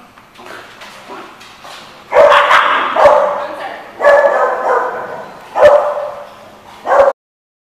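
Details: Dog barking, recorded 20 April 2015: loud, harsh barks in bursts about every second and a half, some drawn out, with quieter sounds between them and a short silence at the end.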